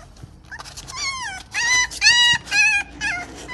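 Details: Golden retriever puppies playing together give high, whining yips: about five short cries in quick succession, each sliding down in pitch, with brief quiet gaps between them.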